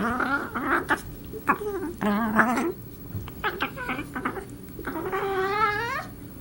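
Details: Cat named Darla at play with Marvin indoors gives strange alien-sounding calls: a run of short wavering chirps and trills, then a drawn-out, quavering, slightly rising yowl in the final seconds.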